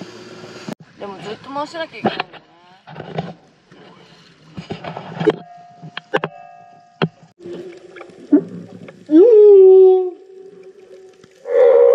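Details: Humpback whale song heard while swimming with whales off Moorea, Tahiti, in September 2022, with a singer present; moaning tonal units rich in harmonics, rising upsweeps and short clicks, broken by quiet gaps.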